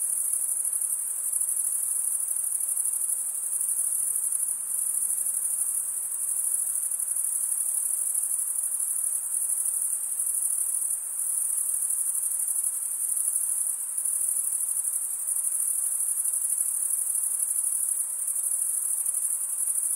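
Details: Cricket chirping from males scraping wing teeth against the opposite wing. A constant, shrill, high trill fills the whole stretch with slight swells in loudness and no other sound.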